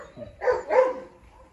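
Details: A female Presa Canario keeps chasing another dog in the yard and snaps at it; two quick rough barks in close succession, over a low rumbling background.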